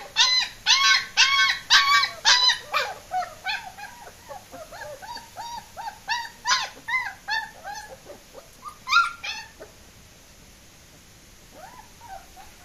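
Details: Escaping German Shepherd puppies let out a rapid run of shrill yelps and yips, about two per second, that gradually soften, then give way to quieter whines and a near-silent stretch toward the end.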